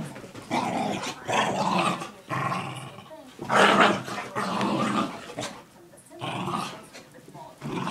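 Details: A pet mini dachshund wrestling with a Rhodesian/Aussie mix dog in play: loud, raspy growls and snarls in uneven bursts with short pauses, a human voice faintly mixed in.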